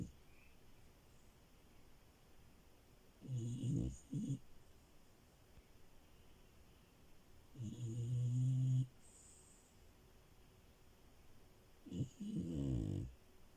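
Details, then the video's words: Loud, deep, rattling snores from Milo, a female French Bulldog sleeping in bed. Three long grumbling breaths come roughly every four seconds, the first ending in a brief extra snort. "Frenchie love and her snores"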